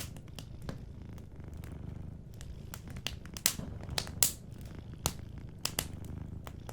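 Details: Gentle low purr from a sleeping cat next to a warm fireplace, continuous and soft, partly covered by dense crackling and a few loud snaps from the fire.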